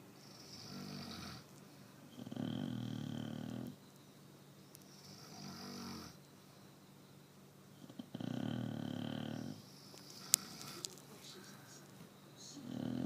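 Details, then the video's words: A sleeping pet Chow Chow dog snores in long, deep, rasping breaths, each drawn-out snore lasting one to two seconds and separated by quieter pauses, in a quiet indoor room. "Chow Chow Snoring"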